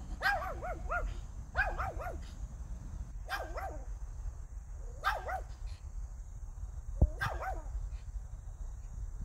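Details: Pomeranian named Hiku barking during everyday life: bursts of two to four short, high, yappy barks repeated about every one to two seconds, with a steady low rumble of background noise.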